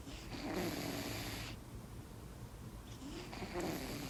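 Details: Sleeping kitten purring and snoring: a low, steady rumble under two breathy, airy swells, one early and one near the end, roughly three seconds apart, with a quiet pause between them.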